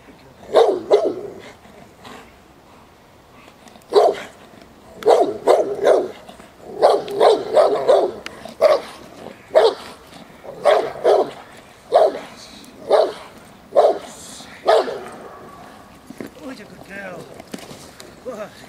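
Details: Presa Canario female of the Irema Curto line barking during protection training at a working field in Germany; deep, loud barks in bursts of two to four, roughly a dozen volleys with short pauses between.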